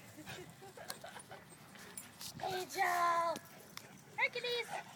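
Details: English Mastiffs play fighting, with a drawn-out, steady whining cry lasting about half a second, then a shorter whine. Excited human voices and exclamations run through the scuffle.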